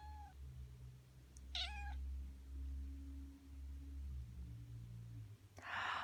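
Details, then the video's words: Black female house cat meowing in response to a person's sneezes while grooming herself: one short mid-pitched meow with a slight rise, then a burst of noise near the end over a low indoor hum. "My black cat meowing to sneezes while giving herself a bath"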